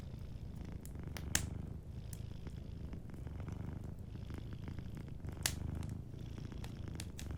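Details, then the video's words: Sleeping cat purring softly beside a fireplace: a steady, low rumbling purr runs throughout, with sharp crackles and pops from the burning fire, two of them louder, near 1.3 and 5.5 seconds. "Warm Fireplace Ambience with a Sleeping Cat 🐱💤Fireplace & Soft Purring"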